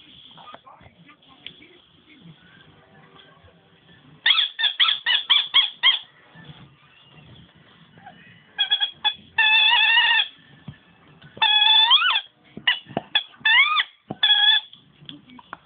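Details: Dog named Nemo squeaking instead of barking: quiet stretch with faint rustling, then a quick series of short high squeaks, followed by longer sustained squeals, some sliding upward, separated by brief pauses.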